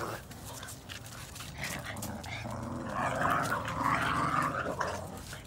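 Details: Red Boston Terrier puppies growling while playing tug of war with a chew ring, just having fun; low rough rumbling that swells louder after three seconds, with scattered clicks and light handling noise.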